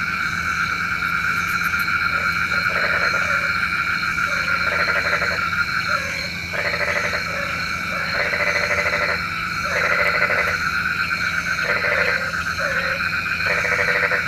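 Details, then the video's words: Frogs croaking at night, a sound said to call the rain: nasal, harmonic croaks in long runs, repeated again and again over a steady high insect-like drone. "SUARA KODOK KATAK | Panggil Hujan Obat Tidur Malam"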